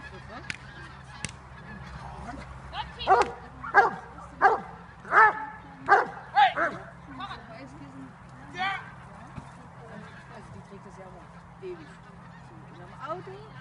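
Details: Dobermann male almost five years old during bite training, October 2015: a series of about eight loud, harsh barks spaced under a second apart, with a steady low hum and faint voices around.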